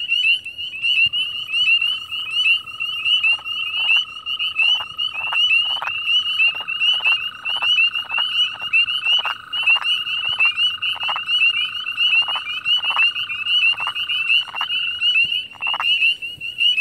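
A wood frog gives its release call, a run of short, abrupt clucks repeated slightly faster than once a second. Behind it runs a constant high-pitched ringing chorus, likely other frogs calling.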